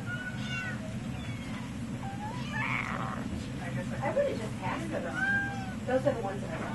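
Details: Live-trapped feral and stray cats at a humane society in Kalamazoo, Michigan, on a spay and neuter day; several short rising and falling meows over a steady low hum of machinery, with faint voices.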